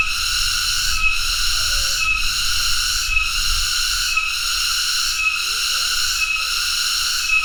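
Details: A cicada (Cicadidae), called tonggeret, keeps up a harsh, ringing buzz throbbing rhythmically about every second, steady and unbroken over seven seconds, over a soft low background rumble.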